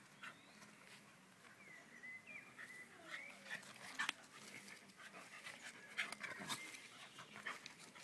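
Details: An Alaskan Malamute playing with a pug whines in high, sliding tones between quick breathy pants and huffs.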